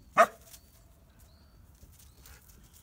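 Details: Siberian Husky staying at a pet hotel in Hamamatsu, Shizuoka, Japan, inviting another dog to play: one sharp, short yelping bark, then faint rustling and quiet.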